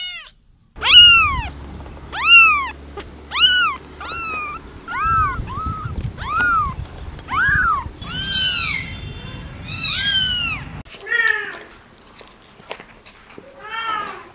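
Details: Rapid series of kitten meows, short arched cries repeated roughly every second, some shriller and overlapping, with a low hum in the first part and quieter mews trailing off.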